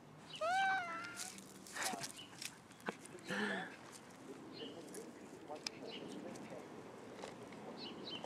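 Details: A cat crying with one brief wavering meow at the start, followed by thumps, faint voices and background noise.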